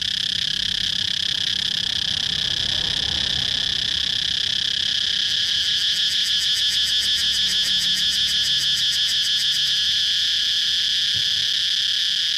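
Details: Steady, piercing cicada drone throughout, joined midway by a fast, regular ticking pulse that lasts about four seconds before the plain buzz resumes. A faint low rumble sounds near the start.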